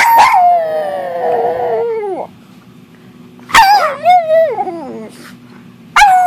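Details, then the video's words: Domestic dog howling along with its owner, long sliding howls that drop in pitch over about two seconds, a second wavering howl with yips, then another beginning, over a low steady hum. "Barking, howling and making other noises with mom."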